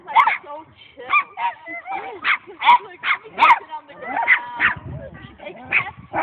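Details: A domestic dog greeting new dogs with a high-pitched "Let's play!" bark after shifting from her usual greeting; short bright barks repeated roughly once a second, some with rising, wavering tails.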